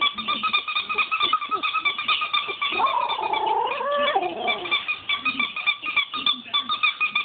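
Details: Female Shiba Inu named Miska howling after being annoyed with a squeaker taken from an old toy; a wavering, rising then falling howl of about a second sits among rapid, repeated high squeaks from the toy.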